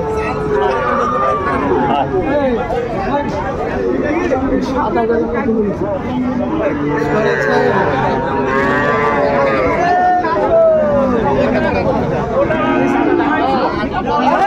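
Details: Sahiwal bull calves at the start of trading at Ambari cattle market, Dinajpur, on 28 March 2025: several overlapping moos, some rising and falling, under constant crowd chatter and bargaining voices.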